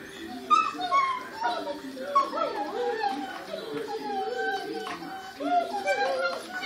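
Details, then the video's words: Chorus of dogs howling together: several overlapping, wavering tonal voices sliding up and down at different pitches, continuous throughout with a few louder swells. "Doggy chorus"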